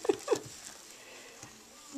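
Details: Female foster cat Shweetie, adoptable through Siamese Cat Rescue Center in New England, chirping during an evening cuddle session on February 10, 2010: two quick mid-pitched chirps in the first half-second, then a quiet room.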